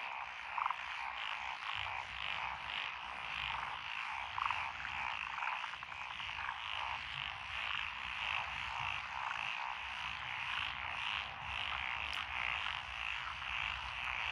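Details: Lotus rice paddies in Echizen, Fukui, 12 June 2021, alive with frogs including Japanese tree frogs and Schlegel's green tree frogs; unbroken rolling chorus of rasping croaks and trills, a few louder nearby calls punctuating the swell.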